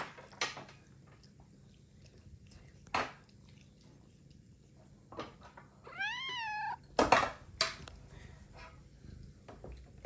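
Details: Ragamuffin cat indoors, being shown a sticker book while a family dinner is set out. One short meow with stacked harmonics arches up then down near the middle. Sharp taps and clatter scatter through the room, with soft voices nearby.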